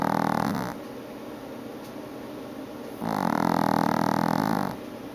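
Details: Sleeping female Chihuahua on an afternoon nap gives nasal, whistling-buzzy snores: one fading at the start, then a quiet gap of about two seconds, then another sustained snore of about one and a half seconds in a small quiet room.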